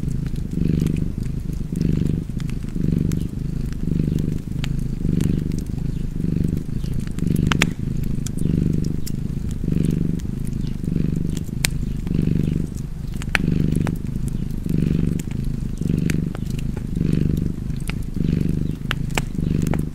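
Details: Cozy cat purr beside a crackling fireplace, a deep continuous rumble pulsing in regular breathing cycles about every second or so across twenty seconds, with frequent bright snaps of burning wood.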